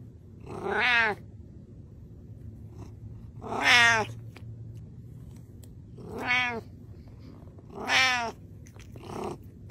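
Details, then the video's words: Pet cat meowing because it is hungry and wants salmon, four loud stacked-harmonic meows spaced roughly two to three seconds apart, each rising then falling, in a quiet indoor room. "I'm Hungry!"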